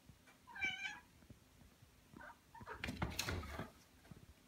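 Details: Young pet Ragdoll cat indoors, one of a pair aged one year and nine months, reacting even to dust: a single clear, harmonic meow that rises then falls, a fainter short chirp after, then rustling and handling noises.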